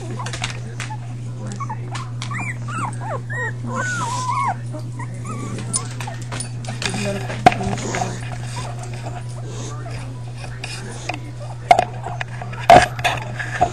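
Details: Young pups from a litter of five whining in a run of high, arched squeaks during the first few seconds, then mostly rustling and knocks from handling, a low hum underneath and a sharp click near the end.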